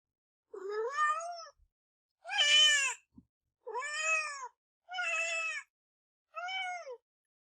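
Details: Pet kitten meowing indoors: five clear, high, drawn-out meows with an arched rise-and-fall in pitch, spaced roughly every one and a half seconds, the second one louder and harsher; no other sounds.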